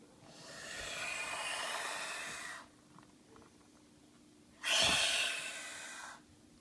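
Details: Ramsey, a baby boa constrictor angered at being offered his evening meal, hisses twice: a long airy exhalation of over two seconds, a pause, then a louder, sharper second hiss fading out.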